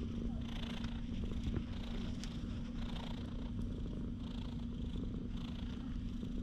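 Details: Filmed on a GoPro HERO8, a stray cat lounges in the middle of a park path, purring continuously in a low, pulsing rumble. A steady hum and light background noise sit beneath it.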